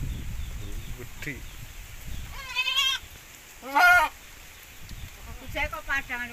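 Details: Goat from Javanese and Boer crossbreeding, with low rumbling noise at first, then three quavering, nasal bleats with stacked harmonics, one short, one loud, and a wavering final one.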